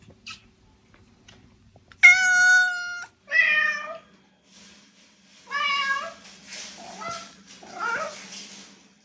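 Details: Domestic cat meowing to draw other cats' attention: one clear, level, tonal meow followed by shorter wavering and descending meows, then softer, rougher mews, with a faint low hum underneath.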